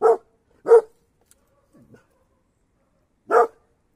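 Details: Mountain Cur, an American hound breed, barking: two short, sharp barks about 0.7 seconds apart, a faint low sound, then a third bark after a pause of over two seconds.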